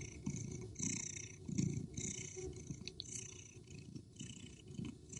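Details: A female street cat fights back aggressively while a male Persian cat keeps chasing her; deep, grating growls swell and fade in irregular surges, overlaid by scratchy, hissing noise.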